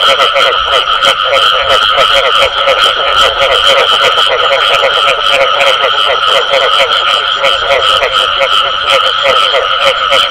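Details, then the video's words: Croaking frogs giving the "bù tọt" call, heard as fast, regularly repeated pulses layered over two sustained ringing tones, forming a constant, loud chorus throughout. "Tiếng Ếch Kêu Có Tiếng Bù Tọt Cực Chuẩn"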